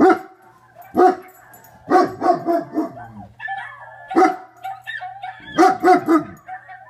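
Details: German Shepherd barking: loud, deep, sharp barks given singly and in quick clusters of two or three, with a lower whining tone and a steady low hum between them.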